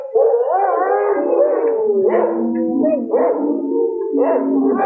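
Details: Several wolves howling together in a night forest, long drawn-out tones gliding up and down and overlapping in a chorus, with voices rising again every second or so; faint musical backing runs underneath.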